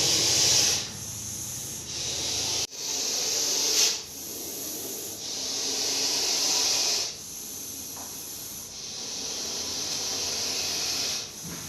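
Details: Russell's viper, a deadly venomous snake caught in Coimbatore, giving loud breathy hisses in long bursts of one to three seconds, each ending abruptly before the next, with a sharp knock near the start.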